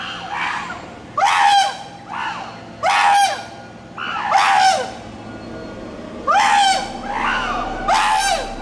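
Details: Chimpanzees encountering road construction, giving loud screaming calls in bursts roughly every one to two seconds, each with a bright harmonic arc that rises and falls, separated by quieter hooting sounds, with faint vehicle noise underneath.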